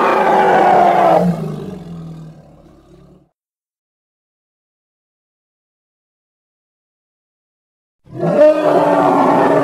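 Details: Hippopotamus (Congo) sounding a loud, rough roar that fades out over about two seconds, then a long silence before another harsh, grating bellow bursts in sharply.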